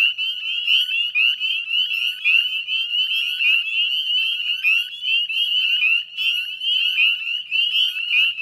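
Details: Northern Spring Peepers calling en masse in a Nova Scotia salt marsh at West Chezzetcook, dusk, 18 May 2020; shrill upslurred peeps pile on one another without pause, a steady piercing chorus.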